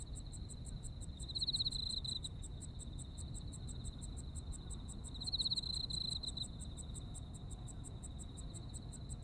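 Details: Japanese autumn insect voices: a continuous high pulsed chirping and an unbroken thin trill, with two brighter buzzy trill bursts about four seconds apart, over steady low rumble.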